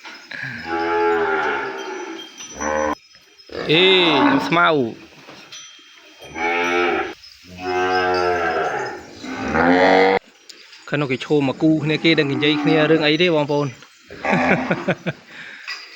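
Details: Calf bawling throughout its pen after being separated from its mother: a series of loud, long moos, several arching up and down in pitch, broken by short silences, with a faint high hum in the background.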